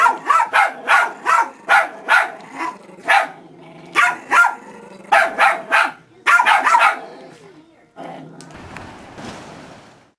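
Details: Dog giving a run of short, sharp barks in quick irregular bursts, about three a second at times, then a pause and a softer rustling, breathy sound at the end.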